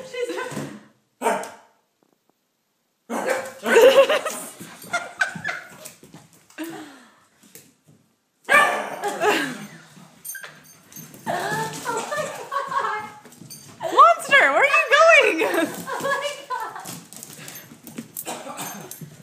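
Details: Playful female puppy yapping at Hugo and a toy: bursts of rapid, high barks separated by brief silences, then a long stretch of dense, excited barking, with some voices mixed in.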